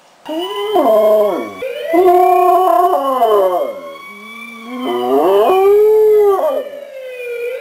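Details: Dog howling on hearing a siren: long, wavering, harmonic howls in about three drawn-out bouts that slide up and down in pitch, with a steady siren-like tone faintly underneath.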